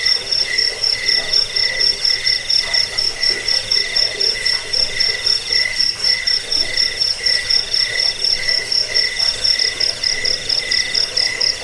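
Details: A cricket chorus used to repel rats, aid sleep and train songbirds. Shrill buzzing trills pulse about twice a second, several overlapping voices keeping a steady, insistent throb.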